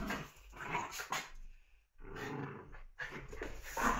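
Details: Puppies playing indoors; low growls and short yappy barks come in three bursts separated by brief pauses, with scuffling in between.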